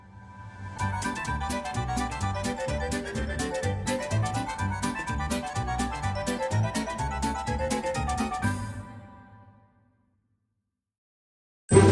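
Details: Plucked keyboard music with a steady bass line plays for about nine seconds, then stops into silence before a brief loud burst at the very end.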